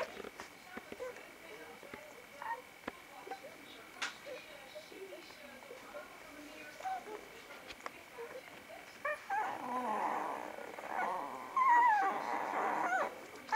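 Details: Vizsla puppies of Batai, filmed on 10 January 2013, about a week further along: soft scattered squeaks and whimpers at first, then a louder, rising, wavering whine near the end over a hum of broadband background noise.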